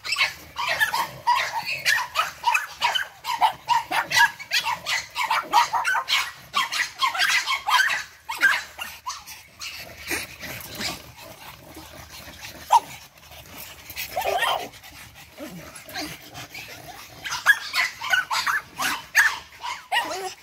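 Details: Eight-week-old Boston Terrier puppies from Charm's litter, energetic, giving a dense run of short high yips and squeaky barks, many overlapping, with a brief lull mid-way before the yapping picks up again.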